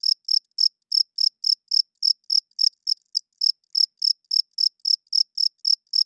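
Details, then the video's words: Crickets chirping at night, repeated high-pitched pulses at a quick steady pace with a short stutter near the middle, in otherwise quiet surroundings. "Cricket Chirping Sounds - Cricket klinkt 's nachts luid"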